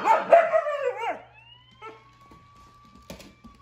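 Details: Siberian husky kept as a pet, indoors with other dogs and a toy robot; a loud wavering, howling vocalisation for about a second, dropping in pitch, followed by a faint steady electronic tone and a few soft clicks.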